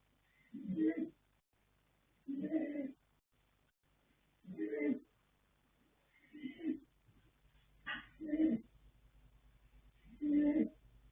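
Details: Colt foal Yanta, born 21 January 2026 by Fast Force out of Pink Blossom, snoring in his sleep: seven gravelly breaths about every one and a half to two seconds, a few softer and shorter than the rest.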